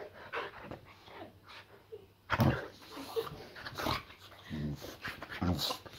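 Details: Indoors, a Boxer called Layla greets her returning owner with playful mock aggression: throaty grunting growls and harmonic snarls in bursts, mixed with scuffling and panting.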